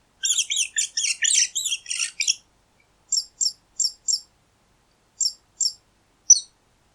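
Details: Mouse giving a rapid, jumbled flurry of shrill squeaks for two seconds, then falling quiet except for single sharp high peeps spaced about half a second apart; clean background.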